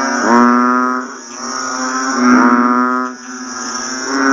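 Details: Chorus of banded bullfrogs right after rainfall, with low, droning, bleating calls rising and overlapping in two or three surges about a second apart, over a constant thin high hum.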